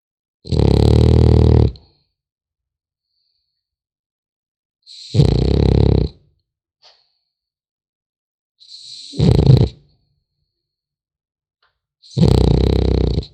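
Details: Sleeping French Bulldog puppy snoring in a steady rhythm, four rough, vibrating low breaths roughly every 3.5 seconds, each about a second long with quiet gaps between.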